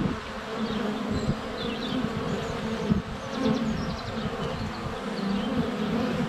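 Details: Honey bees flying thickly about their hive entrance on a sunny day in February, recorded close on a GoPro Hero 7 Black; deep steady drone punctuated by nearby flybys, with short chirping birdsong phrases overhead.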